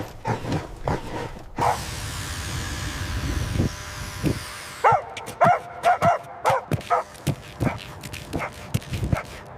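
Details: Puppies running, jumping and play-fighting on fresh green grass give short, high yipping barks in quick bursts, several per second toward the end, after a stretch of steady rushing noise in the middle and a few scattered yips at the start.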